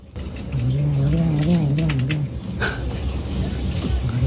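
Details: Bori, a rescued stray cat, makes strange, angry-sounding noises while eating: a low, wavering, humming growl lasting about two seconds, with a person's voice and background music.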